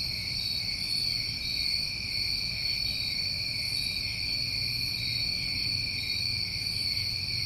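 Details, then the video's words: Crickets recorded in New England summertime, many callers blending into one constant shrill, pulsing hum at several high pitches, even in loudness, with quiet low-frequency background noise. "Over 1 Hour Of Tinnitus Masking With Crickets"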